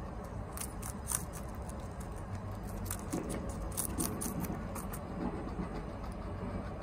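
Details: Chia the guinea pig chomps bok choy fast at home: irregular crisp snapping bites scattered through the stretch, with muffled rustling underneath and a low steady hum.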